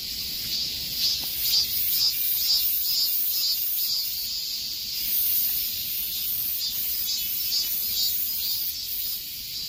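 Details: High shrill cicada song heard in summer heat, throbbing rhythmically about twice each second over a constant sizzling buzz, the pulses strongest in the first half and again around the middle.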